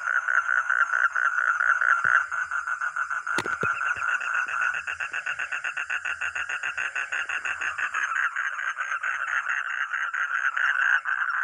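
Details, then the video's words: Frog or toad producing fast rattling pulse trains, loud at first, then steadier and evenly spaced, with one sharp click partway through. "Real 🐸 sound katak atau kodok || frog or toad"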